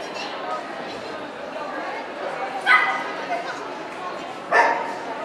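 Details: Indoor dog show hall in Ostrava on 12 April 2014 with a Cardigan Welsh Corgi: two loud, abrupt barks about two seconds apart cut through constant background talk from the crowd.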